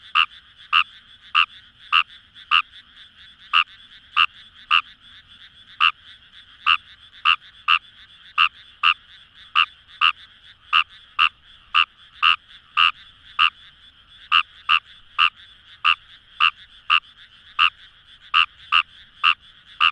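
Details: Wild Fejervarya kawamurai calling in paddy fields along the Kamo River, Itoshima, Fukuoka, Japan: short bright croaks repeated roughly every half second over a steady chorus of more distant frogs, no other sounds.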